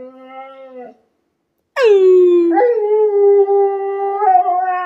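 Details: A 12-year-old female Alaskan Malamute whines until her owner sings with her: a long, tuneful whine that swoops down and then holds steady, seeking encouragement.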